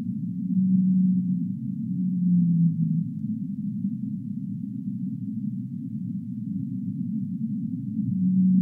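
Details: Humpback whale song with long, pure, low moaning units, one gently sliding downward, separated by stretches of muffled underwater rumble.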